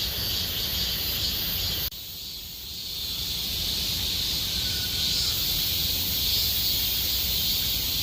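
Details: Cicadas singing in Gomsol Nuri Forest, Sihwa district, as summer deepens: a dense, unbroken high shrill buzz holding steady throughout, with a low rumbling background noise that drops away abruptly after the second second.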